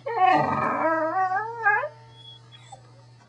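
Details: A male corgi gives a drawn-out, wavering howl-whine that rises and falls like talking, under a steady low hum and background music.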